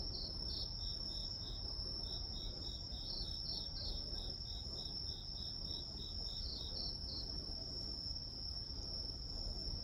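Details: Night-style chorus of grass insects, one voice holding a constant high ringing tone, another delivering quick lower chirps in steady rows and paired bursts, set against a continuous low murmur of background noise.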